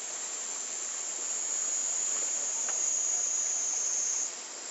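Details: Cicada song on a Japanese summer day in 2014, captured with a Panasonic Lumix TZ20/22 and said to pass 120 dB; a continuous, very high-pitched hissing buzz that grows slightly louder, then falls away abruptly near the end.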